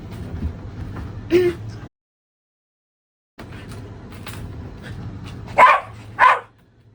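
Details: Shiba Inu named Mametaro, a pet during its shedding season, showing hostility toward a vacuum cleaner; after a low murmur of indoor background sound, two sharp barks ring out about half a second apart near the end.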